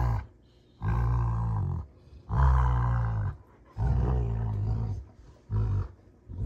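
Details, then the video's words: Rottweilers June and Kenai wrestling in play on a homestead, trading throaty roaring growls, four heavy bursts about a second long with brief pauses, low and rich in overtones. "Rottweiler WWE SMACKDOWN! (June Vs Kenai)"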